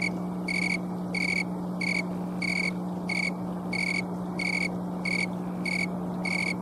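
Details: Colorado snowy tree cricket, one of the last of the season, chirping on a warm October 11 afternoon, captured by camcorder: roughly ten short, ringing high chirps at regular intervals over a low, steady background hum.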